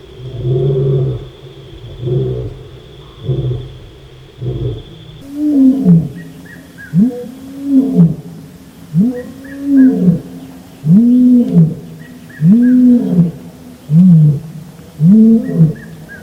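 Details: Lion of the African savanna in a roaring bout: a few muffled grunts, then a clearer run of arched, resonant moans repeated roughly every 1.3 seconds, with a steady high-pitched hum behind.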